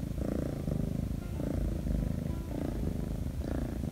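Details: Purring of Shattongi, a young Korean shorthair cat taken in from the street, lying still while petted; low vibrating rumble swelling roughly once per second with inhale and exhale.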